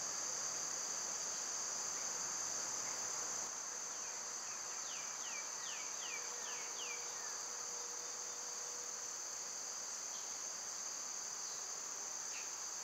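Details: Summer cicada chorus, a steady shrill high drone throughout, joined midway by a quick run of about six short descending bird chirps and a faint low hum.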